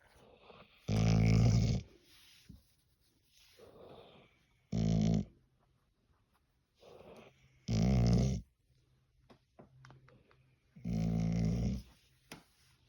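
A Golden Retriever makes deep, rough, snore-like grunts, each about a second long, every few seconds.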